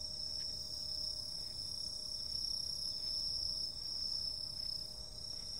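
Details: Insects calling on a summer night: a steady, shrill chorus of overlapping high trills, a dense band of continuous ringing with a second, higher band above it, and soft low rumble beneath.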